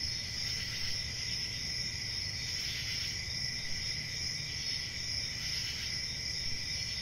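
Crickets keep up a continuous high-pitched chorus, their trilled chirps blending into a steady shimmering band. A faint low rumble runs underneath throughout.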